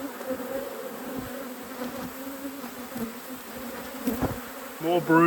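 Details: Hive inspection in a beekeeper's apiary, colony at peak production: honey bees give a continuous droning buzz with steady low and mid tones, a faint voice entering at the very end.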